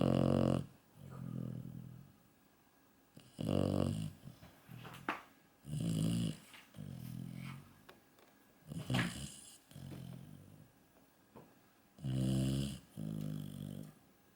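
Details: A sleeping yellow Labrador Retriever snores indoors: long, rough, rumbling breaths recur every two to three seconds, each with a growly low drone, separated by quiet pauses.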